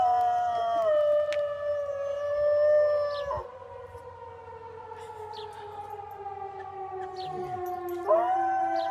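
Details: Dog howling in long sustained tones that glide slowly downward, with a short break and a fresh rising onset near the end. Quiet background.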